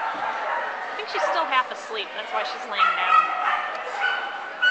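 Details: At the Fox Valley agility trial, Bree plays with Vinny, giving sharp yips and a few sliding whiny tones in an uneven string, while people talk in the background.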